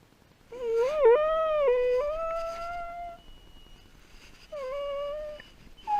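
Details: Dog reacting to its owner leaving: a wavering, tremulous whining howl that rises and wobbles, fades, then returns as a steadier held note after a quiet pause.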